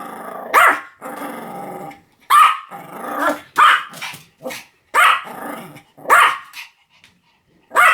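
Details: Pomeranian alternating sharp high barks with stretches of low growling, about seven barks in irregular spacing.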